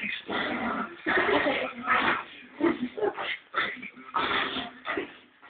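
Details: A female Lhasa Apso puppy gives rough, snarling play growls in uneven bursts while tugging at her ball in her favourite game with the family, with people talking nearby.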